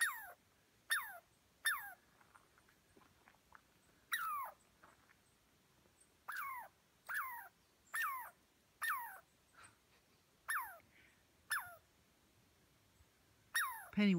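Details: A North Cascades squirrel, chased up a tree by a dog and unhappy about the people nearby, gives loud, repeated downward-sweeping calls, each a sharp burst sliding lower in pitch.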